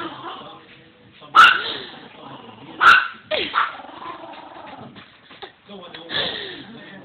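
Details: A pet dog freaking out and barking at an old doll head, since he hates people he does not know; sharp loud barks at about 1.4 and 2.9 seconds with a softer one later, over background voices.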